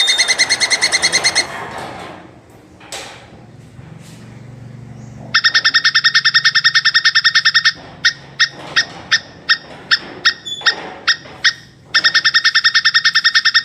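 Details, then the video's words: Mating calls of a plantain squirrel: a quick chattering burst, a quiet gap with low rumbling background, then a long rapid rattle breaking into spaced single chips and ending in another fast run. "SUARA TUPAI KAWIN"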